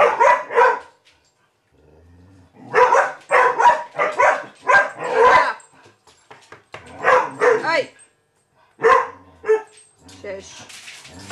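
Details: Young Vizsla April barks at the family cat Maggie inside the house: a brief pair of yaps, then a pause, then a dense string of loud barks and yelps. A person tries to hush and calm the puppy.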